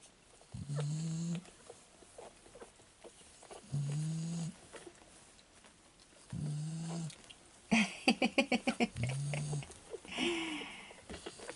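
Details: Fawn male Staffordshire Bull Terrier puppy from a kennel's 34th litter, recorded 19 October 2018: short nasal whines repeat about every three seconds, with a burst of rapid clicking yelps near the end.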